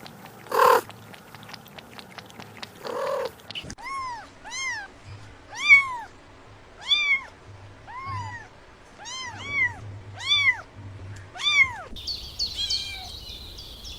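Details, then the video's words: Kittens on the grass chasing butterflies call in a steady series of about nine short arched meows, each a bright rise-and-fall, after a few thumps at the start; a high chirpy sound closes the passage. "Adorable Kittens Stalking and Chasing Butterflies on the Grass – Meowing Sounds"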